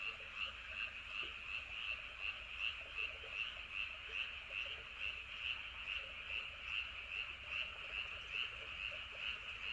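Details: Night frog chorus recorded around Andong, South Korea (Wolyeonggyo Bridge, Hahoe Village): many frogs give bright, rapidly pulsed croaks in an even, continuous throb, roughly two and a half pulses each second, over quiet low background noise.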